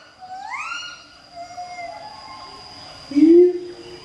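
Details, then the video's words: Two captive siamang gibbons duetting at Schmutzer Primate Center in Jakarta, Indonesia, morning of 20 April 2012; one long upward-sweeping whoop opens, followed by softer drawn-out tones and a single loud, low boom near the end. "Siamang Gibbon (Symphalangus syndactylus) Duet Song"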